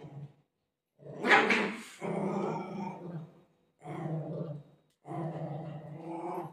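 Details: Golden Retriever growling while play fighting with its mother: low, rough, harmonic growls in three bursts of roughly one to two seconds each, separated by brief silences.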